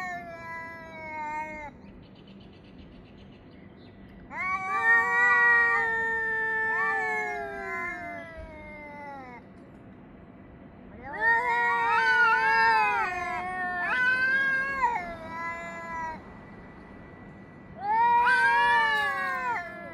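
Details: Cats caterwauling at each other between 6:01 and 6:04 summer time on 3 Av 5785: bursts of overlapping, quavering howls from two voices, one higher and one lower, alternating with quieter gaps every few seconds.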